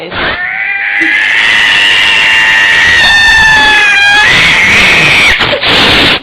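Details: A displeased domestic cat growls and yowls in one long, loud, wavering howl lasting several seconds, pitch holding then dipping and swelling again, with rustling noise at the end.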